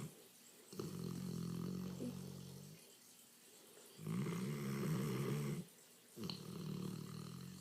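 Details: Snoring English Mastiff in a small room, drawing three slow, low, throaty rattling breaths of nearly two seconds apiece with brief silent gaps between them.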